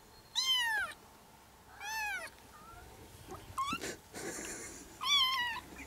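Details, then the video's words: Kitten meows, offered as sounds to draw a cat over for cuddles: a series of high, drawn-out mews with falling pitch, about four calls spread over six seconds, with faint background hiss. "Sounds that will make your cat come to you and cuddle"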